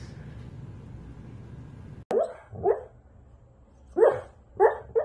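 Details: Siberian Husky, a pet dog, giving short barks: a sharp click, then one bark, then a quick run of three barks near the end, over a low steady hum indoors.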